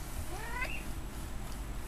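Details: Domestic cat just woken while trying to sleep on a window perch gives a single short meow that rises then falls, with a low steady hum behind it.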